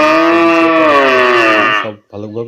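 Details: Real cow recorded in a village area, giving a loud, steady, harmonic moo of nearly two seconds that sags slightly in pitch and then fades, followed by a short, lower, voice-like sound.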